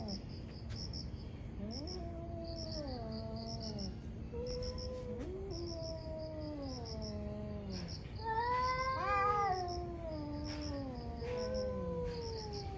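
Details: Morning standoff between two angry cats: low, wavering moans step up and down in pitch, overlapping, then climb into a sharper, louder yowl toward the end, with steady high insect-like chirps behind.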